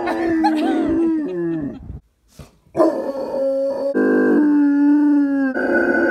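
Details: Miller, a pet dog, howls indoors in long sustained tones with rich harmonics, rising and wavering, then breaking off briefly before resuming in steady drawn-out howls.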